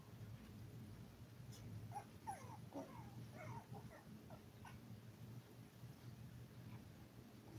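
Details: Five-week-old toy poodle puppies, one of seven in a live-streamed litter, give a short burst of thin, squeaky whimpers and curling whines over a couple of seconds, then fall quiet against a steady low room hum.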